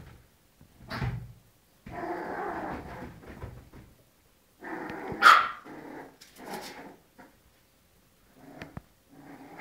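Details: Little dogs fighting: bursts of rough growling and snarling with sharp barks, in several separate outbursts with short quiet gaps between them.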